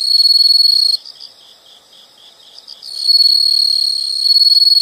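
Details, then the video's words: Loud steady insect trill, high and buzzy, breaks off into softer pulsed chirps for two seconds, then resumes at full strength; calm background with no other sounds. "the sound of insects"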